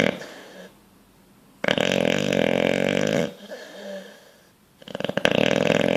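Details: Heavy, rattling snores from a bulldog deep in sleep and dreaming: a long buzzing inhale, a softer wheezy stretch, then another loud rasping snore building up.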